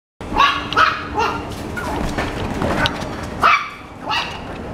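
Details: Pomapoo dog giving several short, sharp yapping barks at irregular intervals, bursts with bright harmonics over a steady background hiss and some low room noise.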